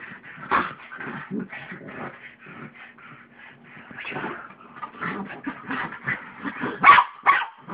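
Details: Two little dogs, a pug and a mutt, playing together on a bed at home; rapid run of short yips, whimpers and growly huffs in quick irregular bursts, with a faint steady hum beneath.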